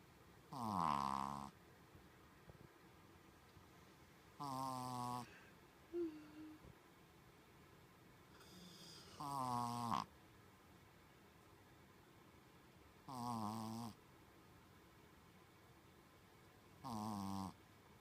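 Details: Human-like snoring from Colon, a sleeping Shih Tzu kept as a staff dog; five rhythmic rasping snores spaced roughly every four seconds, each under a second, plus small snuffles and faint rustling in between.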